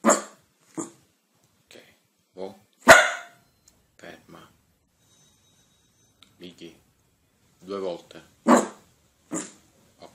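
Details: Dog barking in short, sharp, broadband bursts spread irregularly over ten seconds, with quieter whines and people talking between the barks indoors.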